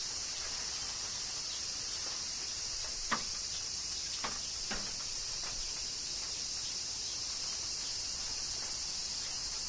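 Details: A continuous shrill buzz from cicadas in Kyoto, Japan, in summer rain, holding level throughout while a few sharp drips strike around the middle.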